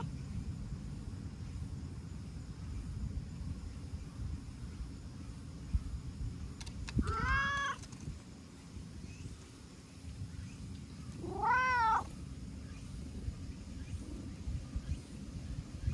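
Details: A talkative stray cat, brown tabby with white, answers petting with rubbing and licking and utters two arched meows several seconds apart, each rising then dropping, amid continuous low-pitched outdoor hum.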